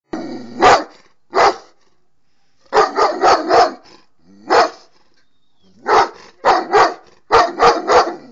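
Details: Egyptian dog barking. Sharp, loud barks come singly and in quick runs of two to four, separated by pauses of about a second.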